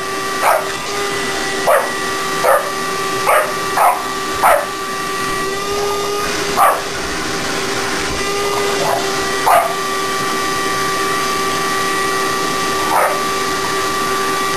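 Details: Shop dog in training helping vacuum the shop: a quick run of sharp yips early on, then sparser single yelps, all over the continuous hum of a vacuum cleaner.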